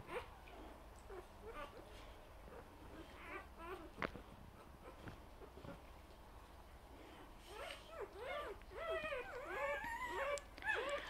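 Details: Vizsla puppies under 24 hours old, born overnight and in the morning, make faint squeaks and scattered soft noises, then build into a run of rising-falling whimpers near the end.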